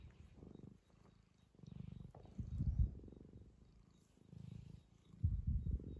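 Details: Purring of a two-year-old male tabby being fussed by his owner, low and rumbling, swelling and fading in bursts about once per second with short quiet gaps between breaths.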